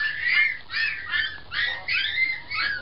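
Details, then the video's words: Young puppies squeaking indoors, a run of high, thin squeals in short bursts roughly every half second, each wavering up and down, with no other sound. "Cute puppies barking and talking"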